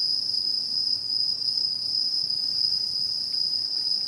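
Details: Autumn insects singing in rural satoyama, 2016: one continuous shrill, high ringing drone holding level the whole time, a faint thin overtone above it, and only a soft low rumble beneath.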